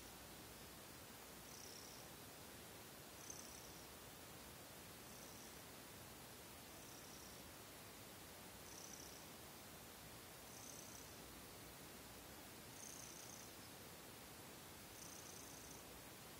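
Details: Purring of Seol, a young house cat, after a kneading session just before falling asleep at night; quiet continuous rumble with breath-like high swells recurring about every two seconds through steady background hiss.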